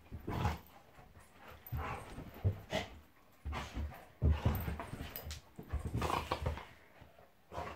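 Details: Monty the Golden Retriever and Eric the Labrador, two pet dogs, play fighting: low rumbling growls and grunts in uneven bursts, with short louder snarls breaking through roughly every second or two.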